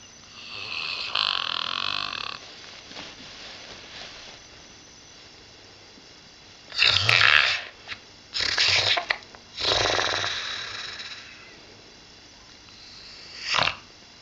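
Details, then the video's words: Snoring from Pip, a female springer spaniel aged 8 with a nasal tumour, receiving radiotherapy at the University of Liverpool: a whistly drawn-out breath, then a run of loud, harsh snorts and rasping breaths, ending in a short sharp snuffle. "Pip Snoring"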